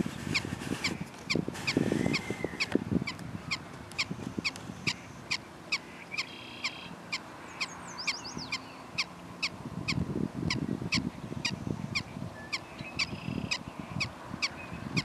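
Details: Prairie dogs keep up a run of short, high barks about twice a second, with a drawn-out call near the start and patches of low rumbling noise.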